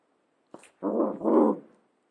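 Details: Cavalier King Charles Spaniel giving a short low grumbling growl in two broad bursts lasting under a second each, preceded by a faint sharp click.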